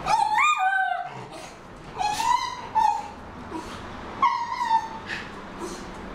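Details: Miniature schnauzer named Homer, holding a big ball in his mouth, lets out three drawn-out, slightly wavering whimpers spaced about two seconds apart, with faint room noise between them.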